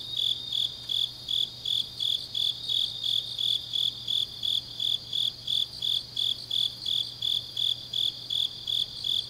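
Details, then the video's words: Deep-night autumn grass insects in Changnyeong, Gyeongsangnam-do, Korea, keep up a long even run of high chirps, close to three each second, bright and ringing over a quiet low hum. "깊은밤 가을 풀벌레 소리"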